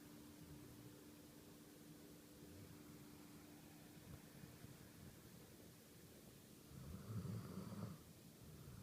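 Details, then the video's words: Sleeping coonhound snoring indoors: faint, low rumbling breaths in a quick, uneven rhythm, swelling louder near the end, over a steady electrical hum. "Snoring dog (coonhound)"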